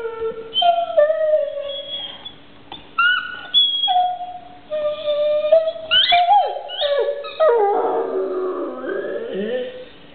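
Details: Pet dog with a toy giving drawn-out wavering howls, some steady and some bending upward, breaking into a rougher, falling whine toward the end.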